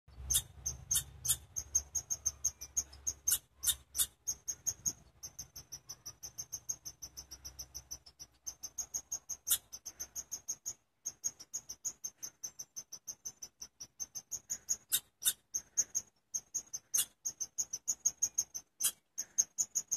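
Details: Chipmunk chirping in a long, steady series of sharp, high chip notes, about three to four per second, with brief pauses; a low hum underlies the first half.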